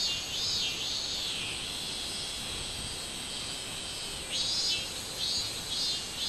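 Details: Robust cicada heard on 24 July 2016: throbbing high buzzes in a short series, a pause of steady drone, then renewed pulsing bursts, with other cicadas humming constantly behind.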